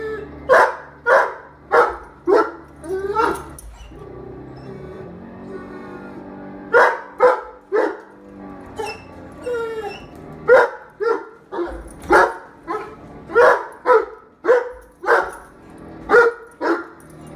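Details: A Great Dane barks in short, loud bursts while watching Great Danes on television, with soft music from the TV in the background.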